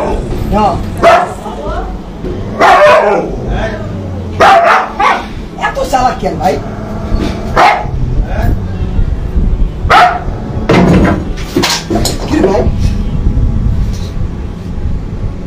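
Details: Dog barking in a string of short, sharp, harmonic barks, some in quick pairs, over people talking in the background and low rumbling noise.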